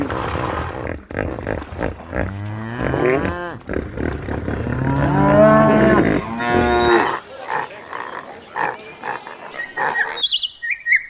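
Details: Cows in a field, a cluster of deep overlapping moos lasting about four seconds amid constant rustling noise, then a noisier stretch with short high chirps near the end.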